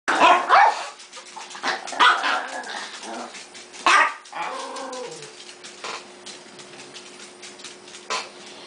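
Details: Several pet dogs at home, among them Zoe, Casey and Kipper, bark in sharp irregular bursts near the start and around two and four seconds, fading into softer yips and whines over a steady low hum.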